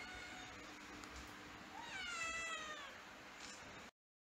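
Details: A kitten gives one clear, drawn-out meow that rises slightly and then falls, preceded by a brief soft squeak, over a constant low background hiss.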